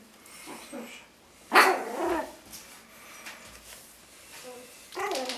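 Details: Yorkshire Terrier puppies, one month old, give short, high, raspy growls and yaps while playing, play-fighting and biting at a person's foot and sandal strap, with a person talking nearby.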